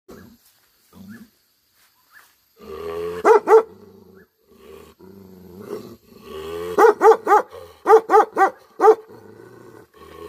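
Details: Tibetan Mastiff in a Himalayan village in Nepal; faint low growls and whines, then two deep, ringing barks, followed by a run of about six loud barks in quick succession.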